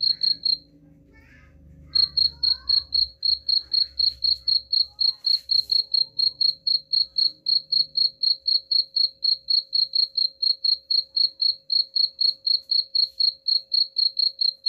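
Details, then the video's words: Rat-repelling cricket chirps: a few high pulses, a pause of about a second with low background noise, then a long unbroken run of rapid, regular chirps about four per second. "suara jangkrik pengusir tikus"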